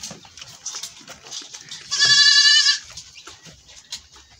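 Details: Goat fleeing after milking: one loud, tremulous bleat lasting under a second in the middle, with light shuffling and background noise before and after.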